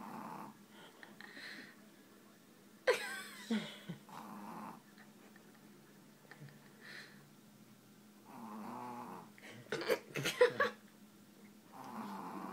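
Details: Pet dog Tess sleeps on the dining room table while dominoes are played, giving slow, buzzy snores at intervals over a faint drone, interrupted by voices and sharp clicks of tiles.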